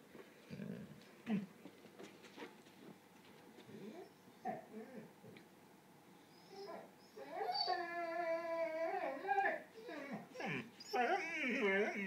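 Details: Red the dog, indoors with its ball stuck, gives a run of wavering, harmonic, talk-like whines and moaning howls that rise and fall. They grow longer and louder toward the end, with a person's voice between them.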